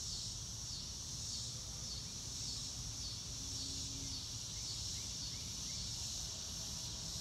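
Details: Crickets heard in real time on a sunny day with clouds overhead: a bright, high-pitched chorus pulsing in soft surges, a few faint rising chirps from another creature, and a low steady rumble beneath.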